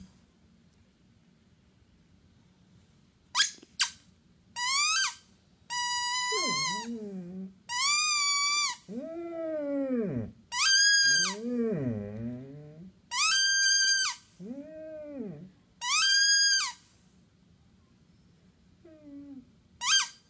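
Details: Five-and-a-half-year-old Basset hound Penny almost howls for the first time. Short high yelps and whines alternate with deeper, wavering, mournful notes that swoop up and down, with brief gaps between bursts.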